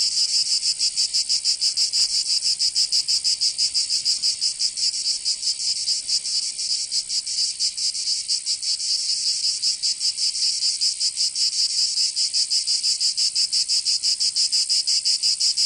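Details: A chorus of cicadas in a Provence summer, southern France: a continuous, piercing, high-pitched buzz with rapid fine pulsing that never pauses, and nothing else audible.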